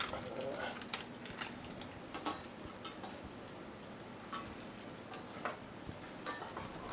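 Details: Metal dog bowls clink and clatter repeatedly with a faint voice in the background; no animal sound is heard.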